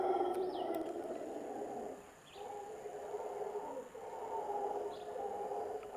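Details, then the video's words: Howler monkeys in the jungle near Montezuma, Costa Rica, howl from above by a seasonal stream: a deep, broad, droning chorus that rises and falls with a brief pause. "Butterfly NEST and Howler Monkey howls - Magical Jungle in Costa Rica"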